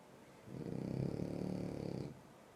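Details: A sleeping French Bulldog snoring: one long, low rumbling snore of about a second and a half, rasping and pulsed, rising and fading smoothly, in a quiet room.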